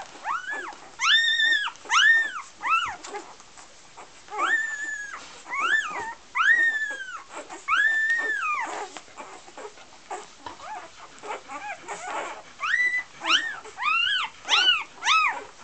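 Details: Golden Retriever puppies from a litter in Iceland whine in high, arching cries, one after another with brief pauses between.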